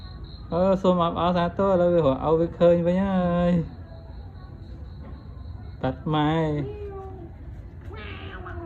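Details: Abandoned kitten whose mother left it, happily following and playing with its caretaker after finding him again; several drawn-out, bending meows in quick succession over the first few seconds, another meow later and a faint one near the end, with a man talking.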